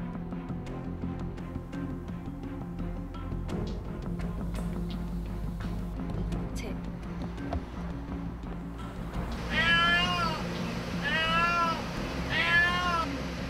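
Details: Domestic mother cat crying from a rooftop, heard for several days while pacing as if searching, her kitten trapped inside a nearby pillar; three long, arching, harmonic meows in the last four seconds over steady background music.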